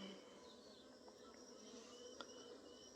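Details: Honey bees in a Tamil Nadu hive, opened after 15 days unchecked, give a soft, steady hum of movement as many bees buzz together at the open hive.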